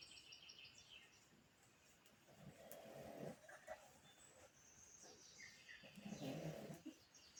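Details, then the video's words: A sleeping pug snores in two rough, rasping bursts about four seconds apart, each lasting around a second, over a hissy indoor background. "The day in the life of my dog snoring. Pugtacular"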